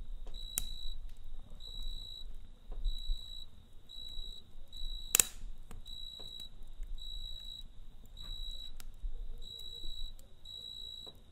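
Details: Cricket chirping at night beside a campfire: steady, high, tonal chirps repeated about every half second, with soft crackles and a sharp pop near the middle from the fire over a low rumble.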